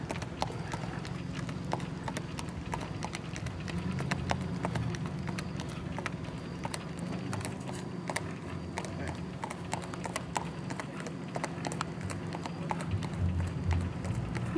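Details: Big white Tennessee Walking Horse, a tall stud saddle horse with a pacing gait, in Cass County, Texas: steady rapid clip-clop of hooves, sharp clicks repeating several times a second, over broad rustling background noise and a low hum.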